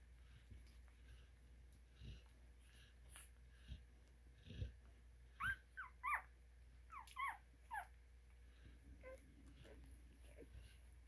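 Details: Newborn Cane Corso puppies from a litter of eleven, five females and six males, giving a few short high whimpering squeaks in quick succession, faint against a steady background hum.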